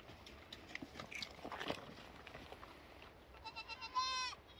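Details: Lambs with soft shuffling and knocking noises at first. A single clear, wavering bleat with a rising then falling pitch breaks out near the end.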